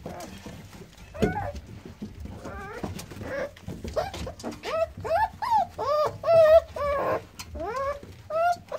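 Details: Newborn American Staffordshire Terrier pups, born 9-6-17, giving high, squeaky whimpers that bend up then down, in short bursts that come faster and louder as the clip goes on.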